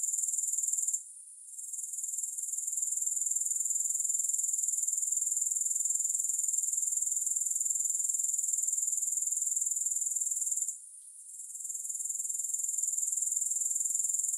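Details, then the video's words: High, hissing grasshopper chorus pulsing steadily. It fades sharply twice, near the start and again after ten seconds, and swells back each time. No music accompanies it. "Grass Hopper Sounds"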